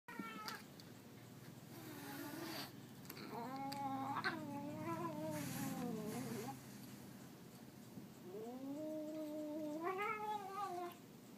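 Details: Domestic cat giving long drawn-out yowls with wavering pitch, several multi-second howls that rise and fall, separated by short gaps, with faint background noise.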